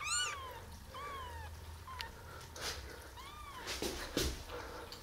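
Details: Five baby kittens, 11 days old, just opening their eyes for the first time, mew indoors: four thin, high-pitched mews that rise then fall, the first and third longest, followed by soft clicks and rustling.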